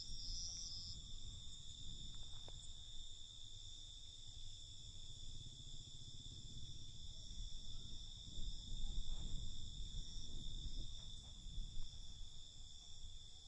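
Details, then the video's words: Night chorus of crickets: constant shrill, layered trilling with no gaps, a faint extra high flutter at the very beginning, over low rumbling noise that swells in the second half. "Night Cricket Sound"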